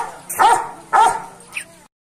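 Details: Aggressive Belgian Malinois: two sharp, harsh barks about half a second apart, followed by a brief fainter yelp before the sound cuts off.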